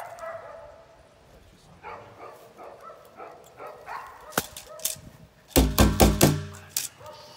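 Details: Eight-week-old female Belgian Malinois puppy Pétra, in bitework training in 2019, letting out a run of short, evenly spaced yips and small barks, then a cluster of loud, sharp broadband bangs near the end.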